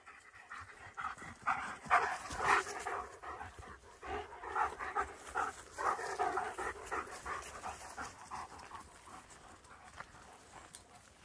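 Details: German Shepherds Nico and Zeeva wandering a forest near Hawick, filmed on a Samsung S23 Ultra phone: quick rhythmic breathy panting, about two breaths a second, in uneven bursts that swell and fade, with faint rustling of the woodland walk.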